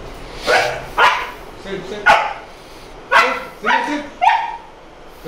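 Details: Male Boxer dog barking during obedience training, learning new lessons; six sharp, harmonic barks come about once a second, mixed with a trainer's spoken commands to sit, lie down and spin.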